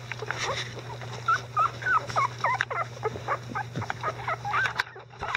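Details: Young Icelandic Sheepdog puppies, 11 days old and increasingly vocal, with their mother Gaela; clustered wavering whines and squeaks overlap among several pups above a steady background hum.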